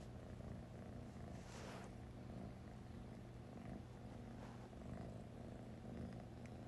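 A British Shorthair kitten purrs steadily, a low continuous rumble with a faint rhythmic pulse.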